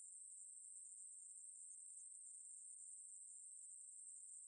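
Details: Ruspolia katydid song from a 2020 National Institute of Biological Resources recording: one steady, high, unbroken buzz holds at a constant pitch without pause for the whole stretch, with no other sounds.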